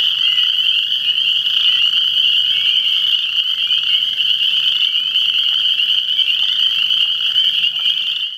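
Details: A thick chorus of frogs, countless high trilled calls blending into one steady ringing drone, with a few brief rising notes poking out before the sound fades away at the very end.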